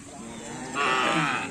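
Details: Cattle at a karapan sapi bull race event in the former Kawedanan district of Pamekasan, mooing: a loud harmonic bellow rising in after a quieter start, lasting under a second over crowd murmur.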